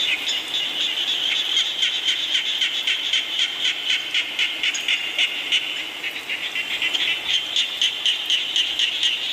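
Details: Frogs calling during rainfall, a dense chorus of rapid, shrill pulsing croaks repeated several times a second, layered over a steady hiss of falling rain.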